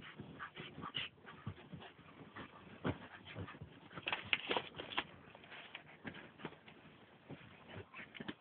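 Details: Meg, a female Jack Russell Terrier cross, makes her bed indoors: rapid, irregular dry scratching and rustling of the bedding in quick bursts, with a few louder scrapes and no voices.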